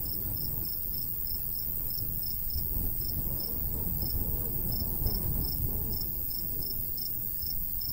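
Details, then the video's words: Cricket in a summer countryside wheat field giving quick, high-pitched chirps about three to four per second, a few brief pauses in the run, set against a steady low breeze. "Countryside/cricket sounds"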